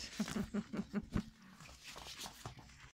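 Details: Toy Poodle puppies at play time indoors: a quick run of six short, squeaky, evenly spaced yips in the first second and a bit, then softer scattered rustling and faint noises.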